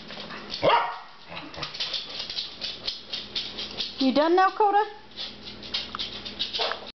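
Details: Three pet dogs barking at something unknown, mixed with human voices: an early sharp bark, scattered softer barks, then a wavering, howl-like yelping run near the middle.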